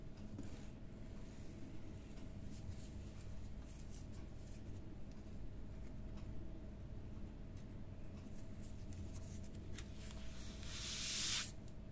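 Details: Quiet indoor room tone with a steady electrical hum, faint patter and light tapping, ending in a short burst of hiss.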